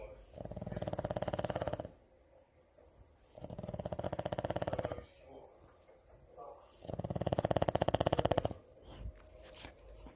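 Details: French Bulldog asleep and snoring indoors: three long rasping, fluttering snores of about 1.5 seconds each, with quieter pauses between breaths.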